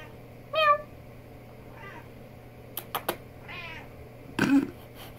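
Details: Mittens, a chatty female pet cat, talking with her owner indoors: three short rising-falling meows spread over a few seconds, with a few sharp clicks and a soft knock between them.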